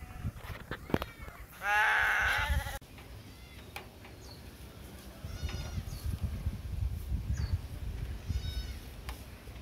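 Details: Goats on a farm fed Napier grass, many animals present; one loud, long quavering bleat lasting about a second, with shorter faint bleats and rustling, clattering sounds before and after.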